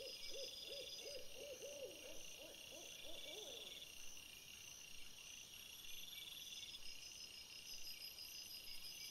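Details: Rapid string of about ten short, rising-then-falling barks from a red fox, recorded by a trail camera after sunset on 17 April 2021, followed by quiet with a continuous shrill insect chorus in the background.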